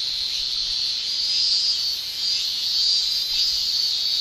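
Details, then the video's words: Shrilling of Japanese summer cicadas: a continuous high, buzzy wall of sound. Loudness rises gently around the middle and again toward the end. No birds or people stand out. "Japan Summer Cicada Shrilling"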